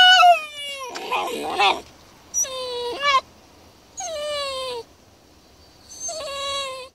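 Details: Basenji complaining inside a carrier it cannot stand, producing drawn-out, falling whines in bursts about every second or two, with a noisy scuffling sound near the start.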